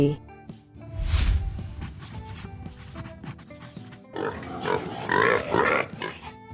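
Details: Pig grunting and oinking in a rough, noisy burst of repeated snorts during the last two and a half seconds, with background music playing throughout.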